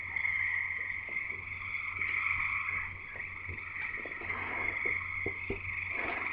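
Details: Many frogs in chorus near Escanaba in Michigan's Upper Peninsula, a continuous shrill trilling wall of sound, with scattered low knocks and thumps nearby.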